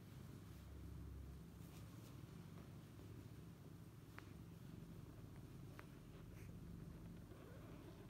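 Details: Mother cat lying with her young kittens, dozing while wrapped around them, gives an unbroken deep purr, a soft buzzing drone that holds steady throughout, with two brief sharp ticks partway through.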